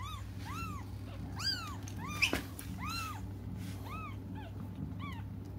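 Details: Crying cats awaiting their mother's return: a dense series of loud, curved mews, roughly eight in five seconds, each swelling up and dropping away, with a brief clatter midway and a low hum beneath.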